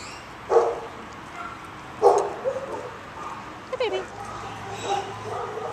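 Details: Shelter dog giving four short, separate barks about a second or more apart, the second loudest, while a person speaks softly and praises him.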